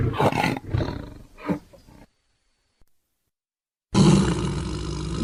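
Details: Tiger roar: two or three throaty, rough bursts, then a silent pause, then one loud, sustained low roar.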